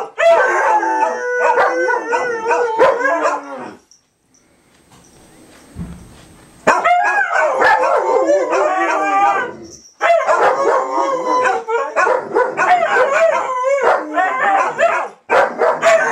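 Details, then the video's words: Several dogs howling together during 2012 Fourth of July fireworks: wavering, overlapping harmonic howls with sharp short yelps and barks mixed in, a near-silent pause around the middle, then the chorus swelling again to the end. "4th of July Dogs Howling"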